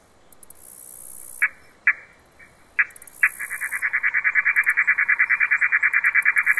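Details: A katydid (bush cricket, Tettigoniidae), out in the daytime on September 9th near summer's end in the countryside, stridulates in buzzy pulses, a few isolated rasps giving way to a rapid regular series.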